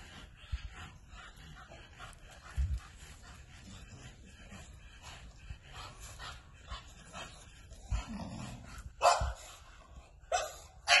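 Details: Low, scattered whimpers and soft sounds from an American Bully build into a few sudden loud barks near the end, spaced about a second apart.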